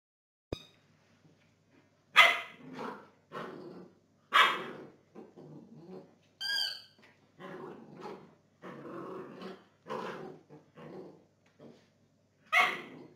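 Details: Belgian Tervuren dog during gun training, giving loud, harsh barks in irregular bursts roughly every one to two seconds, some short and clipped, others drawn out, with one higher tonal yelp mid-sequence and quiet pauses between.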